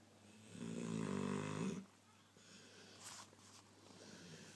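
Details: Diesel, a pet dog, snores loudly while awake, sprawled across a person's leg: one drawn-out rumbling, harmonic snore lasting about a second, then faint breathing and small room noise.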